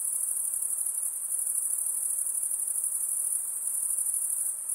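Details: Insect call as a sustained piercing high trill, evenly pulsing and unchanging throughout, with only faint hiss below.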